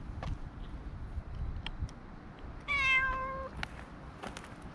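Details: Stray cat met on a walking path, being petted while other cats gather, filmed with a GoPro HERO7: a single clear, harmonic meow lasting under a second, level then slightly falling, over low outdoor rumble and faint clicks.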